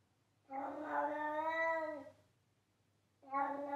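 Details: A long, steady meow from Charlie, a loud pet cat. The sustained, rich cry lasts about a second and a half and falls away at the end. After a short pause a second meow begins; nothing else is heard.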